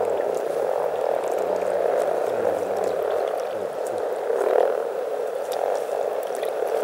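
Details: Over 300 frogs calling together in spring at Teisko, Pirkanmaa, Finland: a dense, unbroken chorus of low purring and croaking voices blends into a steady murmur that swells briefly near the middle, with no other clear sounds.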